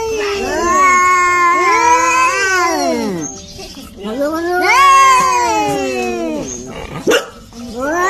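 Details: Cats fighting with a kitten meowing: two long, loud wailing meows that swell and fall in pitch, separated by a short quiet gap, followed by a sharp brief click and the start of another cry.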